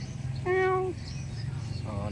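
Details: Hungry cat that nobody had fed, being given food while it rains: a level, steady half-second meow with clear harmonics, then a second shorter meow, with a person talking gently around the calls.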